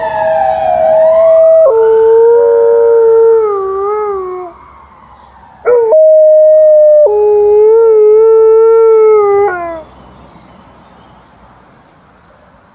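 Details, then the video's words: Early-morning howling by Liza, an Alaskan Malamute, prompted by a passing ambulance at 6 AM. The siren's sweep opens, then two sustained, wavering howls follow, each stepping from a higher note to a lower one and trailing off. "Early morning howling of Alaskan Malamute"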